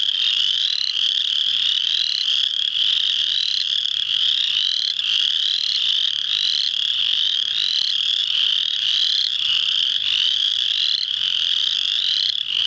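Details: A dense full chorus of spring peepers (Pseudacris crucifer) at Muscatatuck National Wildlife Refuge, Indiana, on March 7, 2009, gives high, clear, rising peeps that overlap without pause.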